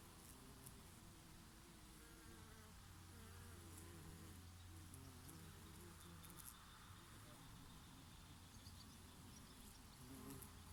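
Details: Bees foraging on oregano flowers in summer give a steady low buzz that wavers in pitch as individuals fly close and move away, over a constant soft rush of summer breeze.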